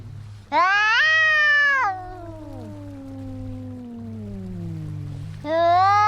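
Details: Fighting cats: a loud rising yowl held for over a second, then a long descending moan that glides steadily lower for several seconds before another shrill wail starts, with a low background hum.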